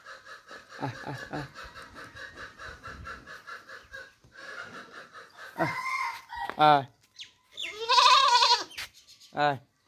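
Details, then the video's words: Baby goat bleating, several short harmonic baa calls in the later seconds, with loud wavering cries near the end, over a steady rhythmic pulsing background and a soft voice early on. "Goat baby sound 2022 | Best goat sound baa baa sounds for kids 2022|Amazing goat sound video"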